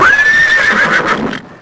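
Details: Horse neighing: a high, drawn-out whinny that rises quickly, holds steady, then wavers and breaks up into shaky, fading pulses over about one and a half seconds.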